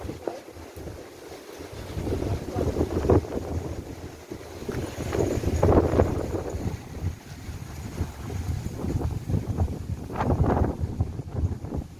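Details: Strong gusty wind buffets the microphone outdoors, with faint voices in the rush and no clear animal call.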